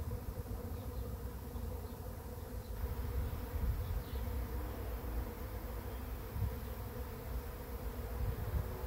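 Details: Bees swarming in at a swarm trap, swarm number four caught, produce a thick continuous hum of countless wingbeats, even in pitch and swelling slightly in loudness, with deep rumble underneath.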